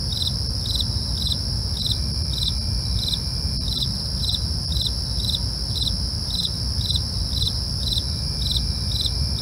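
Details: Night crickets chirping in a regular high pulse roughly every half second, layered over unbroken piercing trills, against a steady low broadband rumble.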